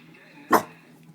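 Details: Single sharp bark from a pet Staffordshire Bull Terrier, one loud broadband burst at mid-clip, with a man's voice nearby asking who is there.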